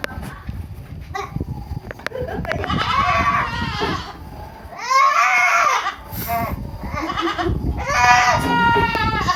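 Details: Young goats at a farm in Langgongsari, Cilongok, Purwokerto, Indonesia, give a run of loud, quavering, nasal bleats that rise and fall, with faint human voices and rustling between calls.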